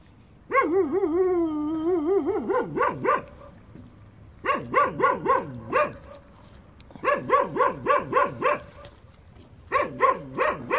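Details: Puppies playing at a building site: a long wavering whine, then bursts of rapid high yelps in quick trains of five to seven, with short quiet gaps between bursts.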